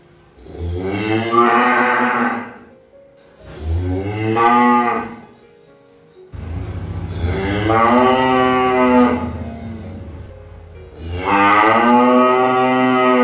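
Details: Cow mooing: four long, loud, harmonic-rich moos about two seconds each, the first two rising then falling, the later ones longer and more drawn out, with quiet gaps between.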